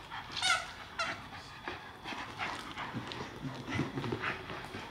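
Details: English Staffordshire Bull Terrier puppy Mr Shaq in a tug-of-war game with big sister Ms Cali, two dogs indoors; two short high whining yelps in the first second, then scuffling, panting and low rough play noises.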